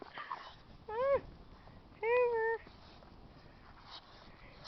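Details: Pet dog being coaxed to say hello makes two short tonal cries, the first rising then dipping, the second longer and level, about a second apart, with soft voices in the background.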